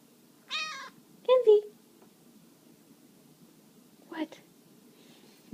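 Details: Bengal kitten named Candy, 13 weeks old, showing affection indoors: a short high harmonic meow, then a longer call as a person repeatedly says its name, and a brief later mew near the end.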